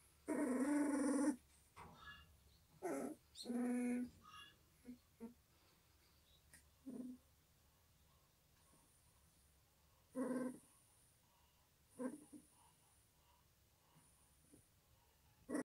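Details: Eleven white-eyed Pungsan dog puppies, whose eyes have just opened, give high, thin whimpers and squeals in short bursts, separated by quiet pauses.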